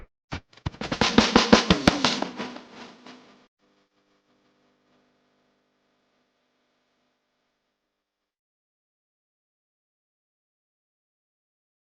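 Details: A short burst of rapid snare drumming with a faint lingering tone, fading into silence after about three seconds.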